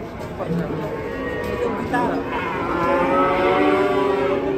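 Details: Well-fed cattle giving drawn-out moos. Short rough calls give way to a sustained, level, resonant low near the end, with faint human voices in the background.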